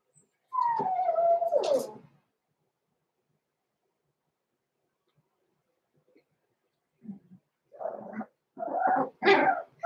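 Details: Six-week-old blenheim Cavalier King Charles Spaniel puppies from a small litter born November 14, 2022, in an indoor puppy pen: one long descending whine, a pause, then a quick run of short, harsh yips and squeaks.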